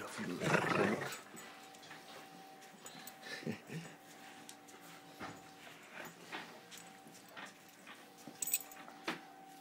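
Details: Sam, a Rhodesian Ridgeback, playing at work with a person's arm, lets out one loud, rough, growling burst near the start, then falls quieter under speech and small indoor noises.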